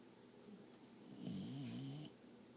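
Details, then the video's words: Emma, a pet dog asleep on her owner's lap, gives one drawn-out wavering nasal snore lasting about a second, low and slightly whiny with a faint whistle above, in a quiet room. "Emma Snoring"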